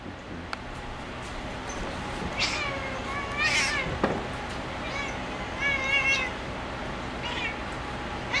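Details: Domestic cat playing on a cat perch, giving several short harmonic meows with rising and falling contours, spaced a second or two apart; a soft click and quiet room background between calls.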